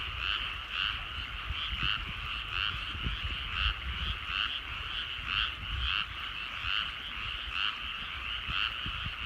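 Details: Chorus of frogs in rice fields at evening sunset in the countryside, short raspy croaks repeating about twice a second in a loose, uneven rhythm, several callers overlapping above faint low background noise.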